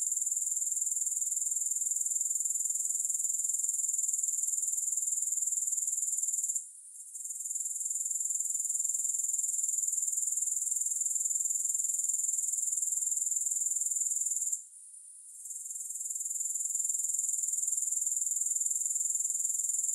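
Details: Grasshoppers recorded without music: a dense, high-pitched pulsing trill that runs steadily, cutting out briefly near 7 and 15 seconds before resuming at full strength.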